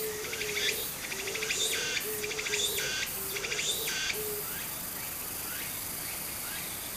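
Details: Cicada singing in summer beside a small stream in Japan: a string of harsh, pulsing buzzy bursts for about four seconds, then fading, while a low repeated hooting bird call and flowing water run underneath.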